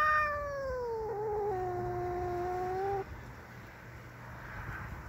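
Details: Domestic cat defending its territory against a neighbour's cat that entered it, fighting: a long, drawn-out wavering yowl that slides down in pitch and holds for about three seconds, then breaks off, leaving a quiet background hiss.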